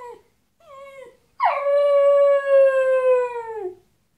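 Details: Dog howling when its best dog friend leaves the house: two short whimpering cries, then one long loud howl with rich harmonics, holding steady and slowly falling over about two seconds before fading.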